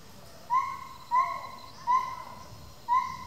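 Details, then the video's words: Female gibbon, confiscated by police and kept ten years at a rescue centre on a 2-hectare semi-wild hill with trees and other monkeys, calling at 6am: clear pure hoot-like notes with rising onsets, about one every second, over faint insect hum. "the sound of Gibbons"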